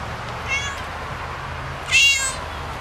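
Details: Domestic cat with two high, brief meows, a faint one followed by a louder, bright one, over a steady low background hum.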